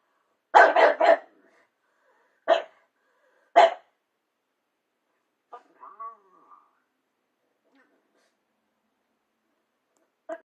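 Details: Pug indoors barking at its reflection on a TV screen that is off: a quick burst of three barks, then two single barks, a soft whining grumble, and a final short bark after a long pause.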